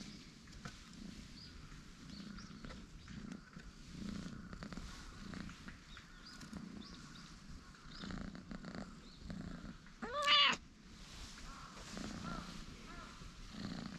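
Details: Pair of light and dark orange tabby cat brothers lounging and stretching on a bench, purring in soft regular low pulses throughout, broken near the end by one short, loud rising-and-falling meow.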